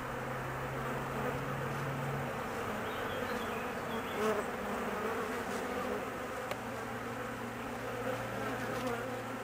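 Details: Honey bee colony humming nervously while the queen is absent on her mating flight; a constant mass buzz of many insects with a low steady tone in the first two seconds.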